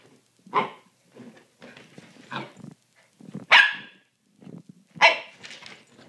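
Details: Two puppies play-fighting indoors, one pounding on a couch; sharp barks and soft growls in irregular bursts, a loud yap roughly every one to two seconds with quieter grumbles between.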